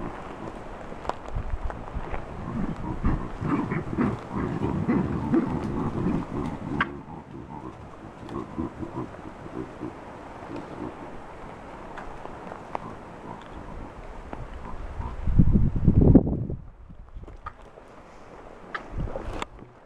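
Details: Wild, habituated troop of chacma baboons in the Soutpansberg mountains, South Africa, screaming in alarm at a giant rock python wrapped around a juvenile baboon at a tree's base. Harsh, rapid, overlapping bursts, densest early on, then a loud cluster near the end.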